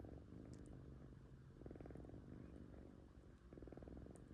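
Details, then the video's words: Domestic kitten purring while asleep indoors: a quiet, low rumbling purr with pulsed bursts that swell and fade in rhythm with breathing, strongest around the middle and end, with faint clicks above. "#kitten #cat #purring #sleeping"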